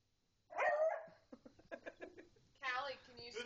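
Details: Pet beagle named Jasmine barks repeatedly while a pug named Callie is urged to speak; one loud, sharp, harmonic bark opens, followed by softer voices repeating commands.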